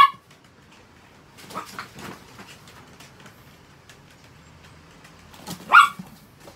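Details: Pet Chihuahua being cared for indoors, giving a few short, sharp yips: a quick pair near the middle, then a single louder, higher bark near the end, with quiet pauses and light household noise between.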